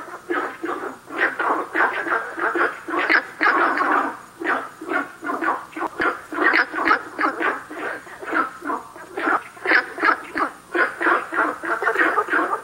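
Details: Chorus of Günther's frogs at South River Valley: quick, hoarse barking croaks tumbling about three per second, overlapping voices and slightly irregular spacing, no other clear sounds.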